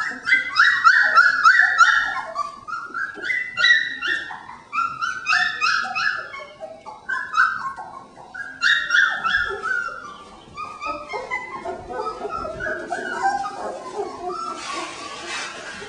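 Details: Jen and Singe's three-week-old puppies, pen just enlarged, yelp in quick bursts of sharp high yips and stepped whines, several pups calling at once, fading into softer whimpers and rustling near the end.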